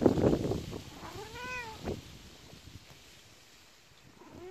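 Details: A cat gives one clear arched meow that rises and falls, then a brief rising mew near the end, after an opening burst of rustling.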